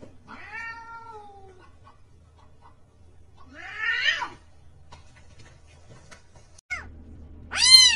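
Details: Cat with a quiet falling meow, a rougher strained call, then a loud short arched meow at the end; mostly quiet room with faint knocks and hum between calls.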